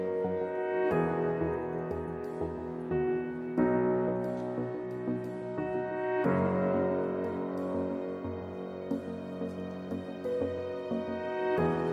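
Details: Gentle new-age music led by piano, with sustained chords that shift every few seconds and no animal voice anywhere.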